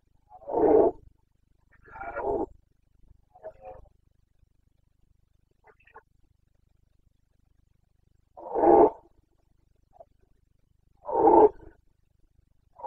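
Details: Carpathian red deer stag bellowing in the breeding season, Bucovina forests, Romania, 29 September 2022: two hoarse roars close together, fainter grunts, a quiet gap, then two more loud bellows roughly three seconds apart.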